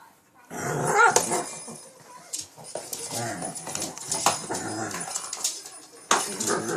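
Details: Shih Tzu named King Bubba, playing late at night in Pennsylvania, attacking a cat toy: rough throaty growls with short snarling bursts and snuffles, a person talking over parts, rustling of the toy throughout.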